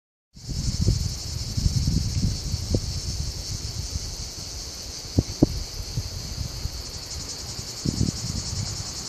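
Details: A three-species cicada chorus in a tiny maritime pine patch between a road and farmland at Alburitel, Ourém, Portugal. One male Lyristes plebejus overpowers several male Cicada orni and Tettigettalna argentata, giving a continuous high, shimmering, pulsing, rattling buzz.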